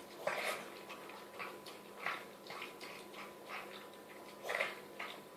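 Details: Female Chihuahua Mia gulping homemade chicken soup from a bowl: rhythmic, noisy slurps and wet lapping clicks, a strong smacking burst near the end.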